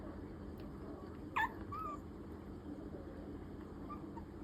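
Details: Maltese–Pomeranian mix puppy crying for affection: a short, sharp high squeal followed by a softer rising whine, then a faint brief cry near the end, over steady low room hum.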